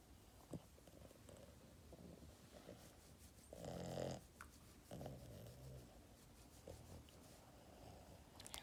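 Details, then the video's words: Yoda, a spoiled little Boston Terrier dog, makes a short burst of snorting grunts mid-clip, with softer breathy snores and small grunts around it; quiet indoor room. "Adorable dog Yoda snoring and grunting"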